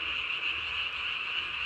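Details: Japanese tree frogs at night, recorded 3 May 2020, one calling with its throat sac swollen to body size; a steady, shrill, continuous buzzing trill fills the whole stretch without pause.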